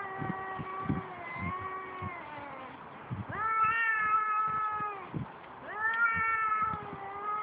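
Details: Cats fighting: long, drawn-out yowls that waver and rise, one caller after another, with dull thumps and scuffles underneath.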